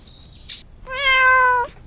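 A domestic cat gives one drawn-out meow lasting under a second, steady and mid-pitched with a slight drop at the end, after a couple of soft brief noises.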